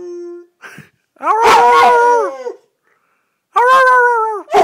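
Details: Red-nose pit bull Thor, a family pet, howling in short bursts: a quick low note, then a loud wavering howl of about a second, a pause, and another howl starting.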